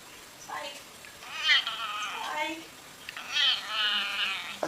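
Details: A pet cat with several drawn-out, moaning meows that waver in pitch, mixed with a man talking to it in a conversational tone.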